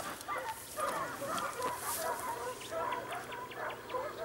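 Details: Several Segugio Italiano hounds in Evros near Sofiko, recorded 12 June 2021, baying in a dense chorus of arched, quavering yelps that overlap continuously, with a faint higher rustle above.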